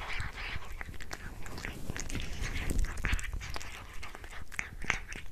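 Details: Pet cat munching a tuna mini stick indoors: fast irregular wet chewing clicks and crunches close to the microphone, steady throughout.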